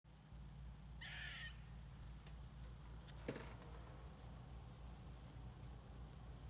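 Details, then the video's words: A squirrel calling: one short, harsh, nasal rasp of about half a second near the start, then only a steady low rumble of background hum. "Squirrel Talking"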